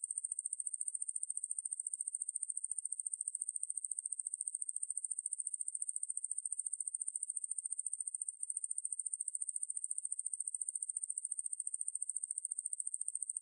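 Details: Conehead katydid Ruspolia lineosa from 2020 National Institute of Biological Resources material: a continuous shrill, high-pitched buzz of fast regular pulses, with a brief dip midway and no other sounds.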